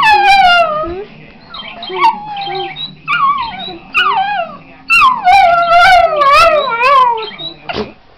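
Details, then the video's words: Patterdale × Border terrier cross dog singing away at home: a series of long, wavering howls sliding downward, several overlapping rises and falls, with television news speech and music murmuring in the background. "Singing Dog"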